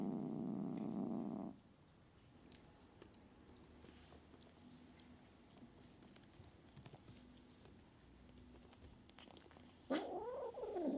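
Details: Kitten Sunshine, an alpha cat biting and hissing at the other cats to show she is in charge, opens with a short rough growl, then a quiet stretch, then a wavering, rising-and-falling moaning yowl.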